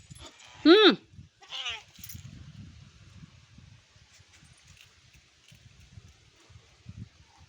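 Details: Ruby the Labrador Retriever 'talking': a loud tonal whine arching up and down, then a softer second whine sliding downward, followed by low indistinct murmuring in the background.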